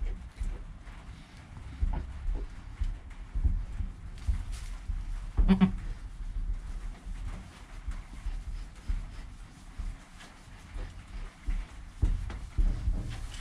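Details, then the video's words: Newborn goat kid named Joel, within an hour of his birth, with his calm mother Penny nearby, captured on a GoPro; one short bleat rises midway through, set against steady low rumbling and soft shuffling noises. "4K Baby Goat - One Hour Sound and Video"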